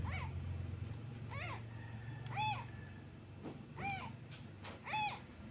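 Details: Lone abandoned kitten calling for its absent mother after a hand is lifted away: five short, high, curved mews spaced about a second apart, some faint, over a steady low hum.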